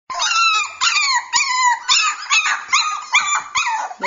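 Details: Cockapoo puppy whining and yelping in a rapid series of high, harmonic cries, each sliding down in pitch, about seven or eight repeated over four seconds with brief gaps between them.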